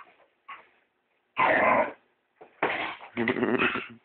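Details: Female Staffordshire terrier, a pet, playfully attacking a house brush while cleaning is done: a couple of faint short noises, then three loud, rasping, harmonic-rich growls, each about half a second long.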